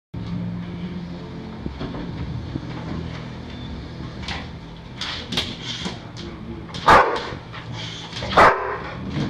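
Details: Pet dog chasing balloons all over the house indoors: two short, sharp barks near the end, after a stretch of low household hum and faint rustling.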